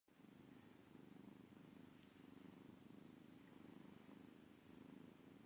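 A Maine Coon kitten purrs steadily, a low, soft rumble pulsing several times a second.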